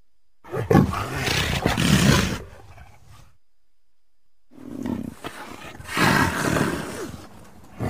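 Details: Leopard calling: two loud, rough, rasping roar bouts, each about two seconds long with gravelly pulses, separated by a silent pause. There are no other clear sounds.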